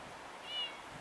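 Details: Kitten outdoors during a winter snowstorm in the town of Sergach, Russia, 2015, possibly thrown out; one short, thin, high meow lasting about a quarter second, slightly falling at the end, half buried under the steady roar of blizzard wind.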